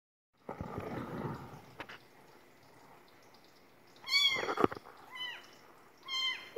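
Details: A newborn kitten gives several high, thin meows that arch up then slide down in pitch, before being placed on a man's chest to calm her.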